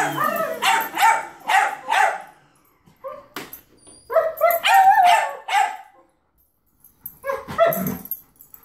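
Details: German Shepherd reacting to a vacuum cleaner with bursts of harmonic, yodelling barks and drawn-out whines, grouped in runs of three or four with short silent gaps between bouts.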